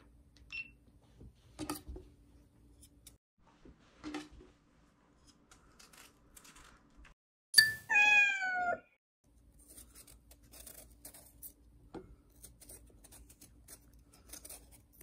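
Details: Bokdongi, a house cat eager for Korean melon, lets out one loud, drawn-out falling meow lasting about a second, midway through an otherwise quiet indoor scene with small clicks and rustles.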